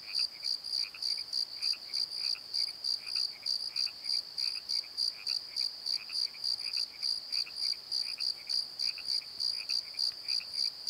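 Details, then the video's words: Night crickets in a valley bottom at Pozo keep up a high, evenly pulsed chirping roughly three or four times per second, joined by softer, lower double chirps from another insect in the background. "Crickets and Croaks! Pozo Night Tree"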